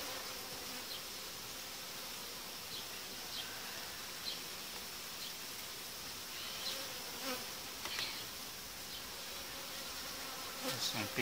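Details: Massed honey bees humming in a hive as two colonies are joined and the dividing boards removed after some five days; a long, unbroken buzzing wash with scattered short clicks and knocks from handling the frames.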